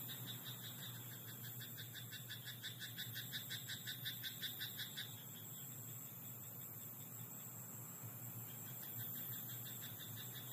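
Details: Frogs croak in a rice paddy at night: a rapid train of pulsed, rattling croaks for about four seconds, then quieter, sparser calls, over a steady high insect hum.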